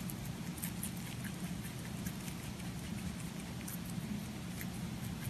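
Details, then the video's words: Close-up eating sounds of a pet rabbit, soft rapid crunching and crisp clicks spread across the clip above a constant low background hum. "ぽんたんうさぎの色々な咀嚼音｜Eating sounds of Pontan Rabbit"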